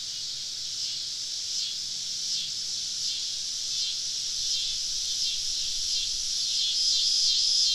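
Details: A dense summer evening cicada chorus in southern woods, recorded while camping, with a steady, high, hissing buzz that swells and pulses gently without pause.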